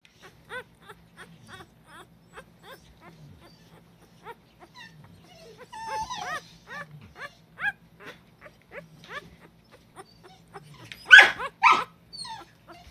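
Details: Male Cardigan Welsh Corgi puppy, one of Clara's litter, giving a run of short high whines and squeaks about twice a second, rising into louder, harsher yelps near the end.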